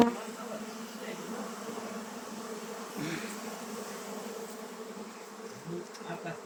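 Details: Honey bees in an apiary humming as a steady group drone, low and even, with a few louder buzzes of single bees flying past the recorder.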